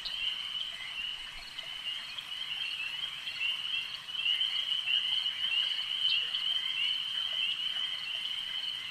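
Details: Frogs calling at a lake, a dense, continuous chorus of high trilling croaks forming a steady shimmering drone, swelling slightly louder midway through with no breaks.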